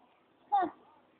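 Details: One of three little pet cats, named Spot, Noisy and Kahel, gives a single short mew, a quick falling tone that lasts a fraction of a second against quiet indoor background hiss.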